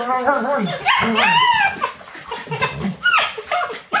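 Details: Alaskan Malamute puppies playing indoors on a rainy day with a young adult male give high, arching whines and yelps that rise and fall in quick succession.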